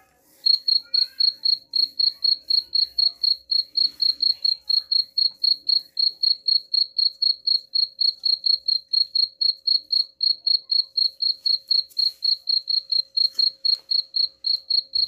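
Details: Continuous chirping from a cricket, presented as a way to scare off rats: long, regular series of sharp high chirps, four or so each second, after a brief quiet start.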